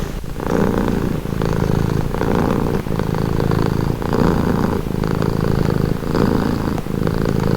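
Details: Relaxing purr from a domestic cat, deep vibrating rumble in regular breath cycles under a second apart, each separated by brief soft pauses.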